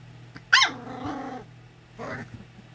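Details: English Springer Spaniel puppy of the Harry Potter litter, Ruby Todd's first, letting out one sharp bright yip that slides into a wavering grumbling growl, followed by a second brief whiny growl, with a constant low electrical hum behind.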